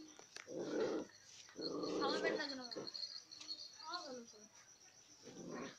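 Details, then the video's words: Fighting puppies growl in two long rasping bursts, then a short run of thin, descending whimpering yelps, followed by another low growl. Indoor setting, with a voice faintly present. "Puppies Fighting !"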